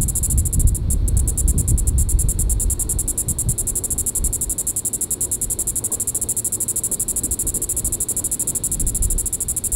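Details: In Reno County, Kansas, a Diceroprocta vitripennis cicada calls on a July 20, 2014 evening at Sand Hills State Park: an unbroken, high, rhythmically pulsed buzz, with a momentary break near the first second and heavy low rumble beneath.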